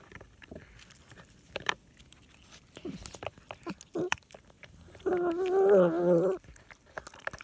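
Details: A domestic cat eating chicken gives one drawn-out, wavering growl lasting over a second, among wet crunching and chewing clicks. Cat.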